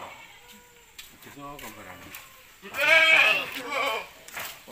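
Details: Peranakan Etawah goat at a jumbo-goat farm, a man's brief speech followed by one loud, drawn-out, trembling bleat and a softer answering bleat from the herd.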